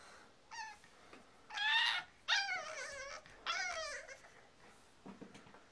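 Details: French Bulldog and Boston Terrier mix puppy indoors, rescuing plush toys before tackling the stairs; four high, descending whining yelps in bursts across several seconds, with quiet room sounds between.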